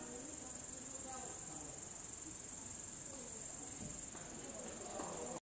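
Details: An upland green bush-cricket (Tettigonia cantans) sings a continuous, high, hissing buzz without a break, late in the evening at 22:36 on 3 August 2013 in Savonlinna, Finland.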